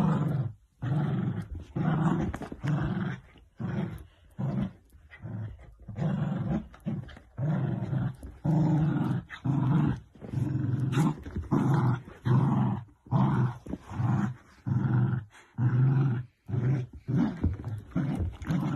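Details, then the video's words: Miniature dachshund at play, giving rough, low growling bursts in an uneven series of about one per second, each separated by short silences, with no other clear sounds. "Funniest and cutest miniature sausage Dogs instagram playful videos compilation 2021"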